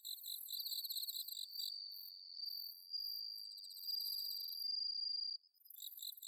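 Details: Autumn night insect chorus recorded in Chiba, Japan: a steady high ringing tone overlaid with rapid pulsed trills from several crickets, continuous and bright, briefly dropping away near the end before resuming.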